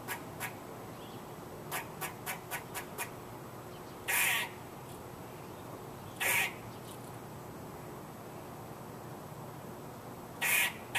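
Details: A squirrel giving a quick series of sharp, faint clicks, then three loud, raspy barks spaced several seconds apart, with quiet pauses between.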